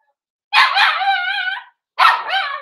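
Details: Four-week-old Cavalier King Charles Spaniel puppies in a home puppy pen, being socialized with other dogs and offered puppy mash: a long, wavering, harmonic whine lasting over a second, then a pause and a shorter second whimper.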